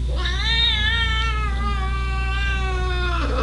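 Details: A female domestic cat, unhappy while staying at a house she dislikes, gives one long, drawn-out wailing meow lasting about three seconds over a steady low hum.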